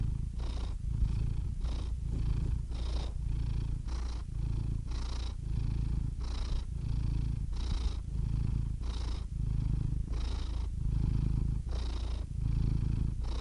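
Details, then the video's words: A domestic cat's deep purr runs without a break. Its breathing rhythm shifts the rumble roughly every second, and brief nasal hisses accent each cycle. Nothing else is audible. "purring cat"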